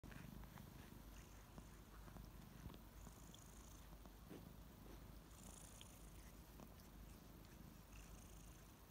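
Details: Two kittens, Ariel and Bear, purring loudly while waking up in the morning and licking; a steady low rumbling purr runs throughout, with faint higher rustles and licking sounds over it in a quiet indoor setting.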